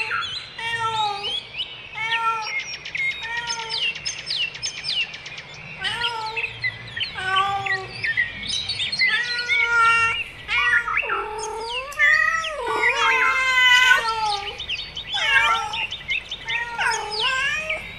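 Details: Domestic cats, a mother with her kittens, giving short repeated mews in bursts about every second, then longer wavering, sliding meows toward the end, while birds chirp and tweet steadily in the background.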